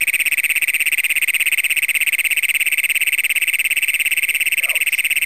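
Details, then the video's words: Great Plains toads, the first documented in Brown County, Minnesota, calling at night on June 27, 2010, recorded on a Canon PowerShot SX100 camera; a shrill, metallic, rapidly pulsed trill holds steady and unbroken throughout. "Great Plains Toads in Brown County, Minnesota."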